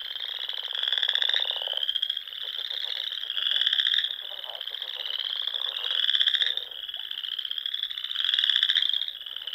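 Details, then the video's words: Dusk frog song in spring on a pond in the Sandhills of Nebraska; loud high trills pulse in swells about every two to three seconds while lower, rapid clicking croaks rattle underneath. "RELAXING SOUNDS OF FROGS"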